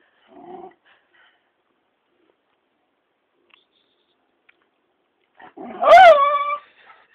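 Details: A dog, jealous of a muppet, gives one soft low grumble, then a long silence, then a sudden loud high-pitched whining yelp that rises and falls.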